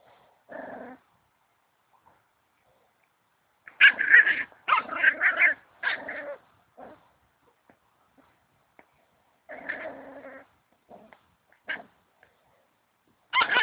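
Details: Puppy at play giving scattered, rough little growls and higher squeaky yaps in short bursts, with quiet pauses between the outbursts.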